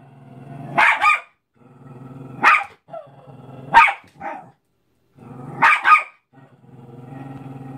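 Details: A Cairn Terrier attacks a Mickey balloon with a steady, low, throaty growl that runs almost throughout, broken by sudden harsh barks, some doubled, about four bursts in all.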